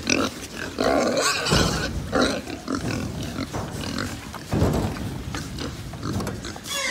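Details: Crowded pigs at a farm in Japan give rough grunts and several harsh, drawn-out squeals, the loudest near the start and around 4.5 seconds, over constant shuffling noise.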